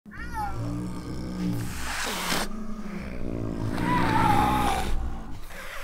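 A low, continuous rumbling purr from a snow leopard runs through the whole stretch. Two brief, tonal mews slide downward over it, and soft breathy rushes of noise come and go.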